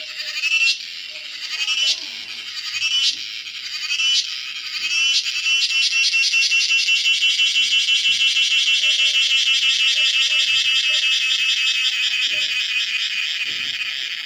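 A cicada gives several short rising buzzes, then settles into a loud, continuous pulsing drone.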